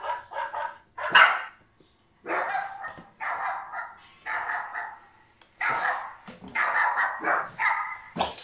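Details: A Boston Terrier puppy, reacting to other dogs barking, gives a run of sharp, high barks and yips in quick bursts.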